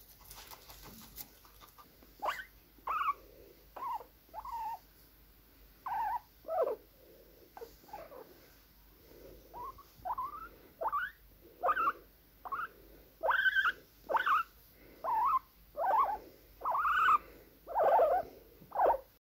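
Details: Guinea pigs wheeking: loud, high whistled squeaks that sweep upward and then drop, repeated roughly once a second in a steady series and growing stronger toward the end, on an otherwise quiet background.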